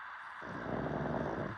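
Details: Sleeping dog giving one long, rough, low-pitched snore that starts abruptly and rumbles steadily to the end.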